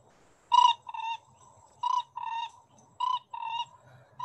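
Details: Four-ridged toad, an orange, warty forest-only species in Singapore: paired honking notes, a short loud one followed by a slightly lower longer one, each pair repeated roughly every 1.3 seconds, clear over quiet background.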